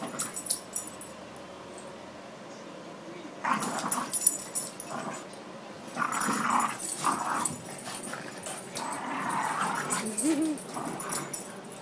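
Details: Luna, a former foster dog in her adoptive home, playing with her favorite toy alongside Wesley, a Boston Terrier: bursts of throaty play growls and whimpers come in uneven spells between quiet stretches.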